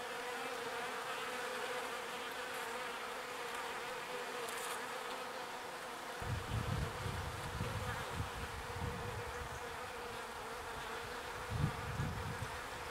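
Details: Foraging bees bringing pollen back to the hive hum steadily in a thick, buzzy drone; about halfway through, low rumbling bursts of wind or handling noise join and come and go beneath the buzz.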